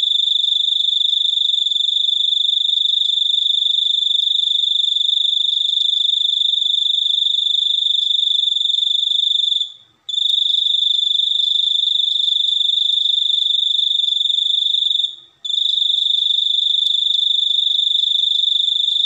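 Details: Cricket ringing in a loud, sustained high trill, broken twice by brief fading pauses around ten and fifteen seconds, each time starting again at the same pitch and volume.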